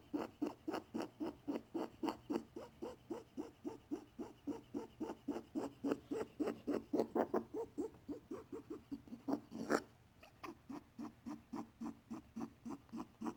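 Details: A male pet rabbit, whose worried owner reports weird sounds the vet couldn't diagnose (antibiotics given just in case), makes steady short, rasping, low pulses, about four per second, like wheezy snuffling; they pause after a sharp click, then resume.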